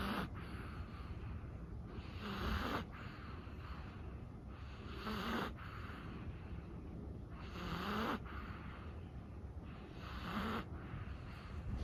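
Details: Chihuahua sleeping at night, breathing with soft rasping snores about every two and a half seconds, each a broad airy rush with a faint low snort, over steady background hiss.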